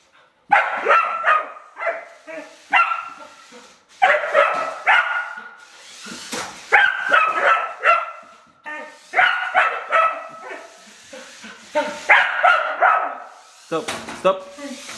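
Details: Jessie, a rough collie bitch, barks excitedly at a child's radio-controlled car, wanting to bite it; irregular bursts of sharp barks and yips with some clattering knocks, ending on a lower, growly bark.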